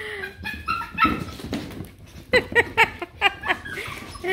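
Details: Two Beagle puppies, both female, playing together; short high yips and whimpering barks in quick bursts, loudest in a cluster near the middle, with a person's voice and background music.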